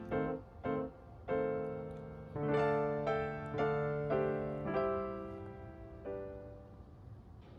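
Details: Soft piano music, single notes and chords played slowly indoors, with no animal sound heard.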